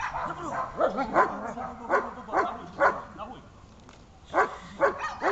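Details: German Shepherd during a first protection training session gives sharp, repeated barks in short clusters, with a brief pause before another run of barks; a human voice is heard alongside.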